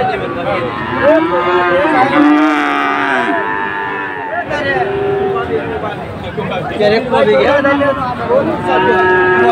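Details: Sahiwal bulls for sale at a Dhaka market, Bangladesh, 16 September 2024, low repeatedly in overlapping, wavering moos of varied pitch, set against a loud crowd and occasional speech.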